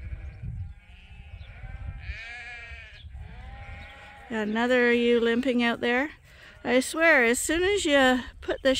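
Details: Farm sheep at Ewetopia Farms, waiting in the morning to be released onto fresh pasture; faint distant bleating at first, then two strong, trembling, drawn-out bleats close by.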